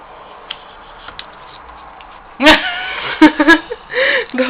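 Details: Kitty, a pet cat guarding her apples, utters a few short harmonic meows, one arching up and down, after a quiet start with faint background hum.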